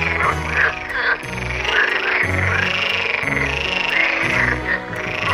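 A chorus of edible frogs croaking and chattering in courtship, over steady background music.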